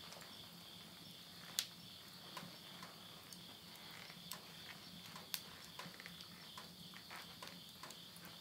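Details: Midnight insect chorus from rural Yurihama, Tottori, Japan, late summer of September 2020: a constant piercing trill underlies irregular loud cracks and ticks from burning firewood in a household stove.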